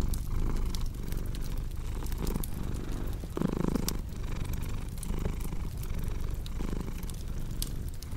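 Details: Cat purring indoors by a fireplace, a deep continuous throb pulsing in regular in-and-out cycles, with fire crackles snapping sporadically above it and one brief louder rustle near the middle.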